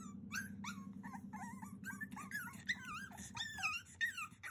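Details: Cavalier King Charles Spaniel pup at 42 days old, pleading to be let out on 30 June 2021, gives a dense run of rising and falling whimpers and squeaky yelps, growing more strained toward the end, above a low background hum.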